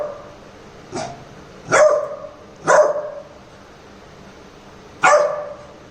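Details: Pranked to see if it is protective, a Labrador Retriever puppy lets out four short, sharp barks, the first softer, spaced roughly a second apart with a longer gap before the last.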